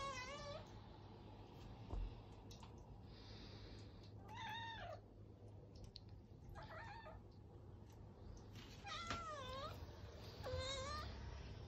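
Abyssinian cats meow insistently, harmonic cries rising and falling as they demand treats.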